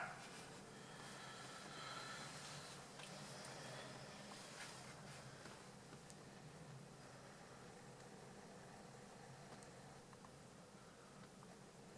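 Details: A steady broadband rumble and hiss, like a passing train or traffic, fills the recording. No clear animal call stands out above the noise.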